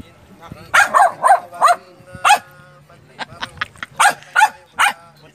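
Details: Female Belgian Malinois barking at her own reflection: loud sharp barks in a quick cluster of four, a single bark, then another burst of three or four, with people talking in Tagalog between and under the barks.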